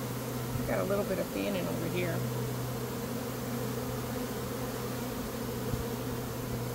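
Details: Honey bees swarming in early May during a beekeeper's capture: a steady deep hum throughout, with a brief human voice and a few high chirping sounds in the first two seconds.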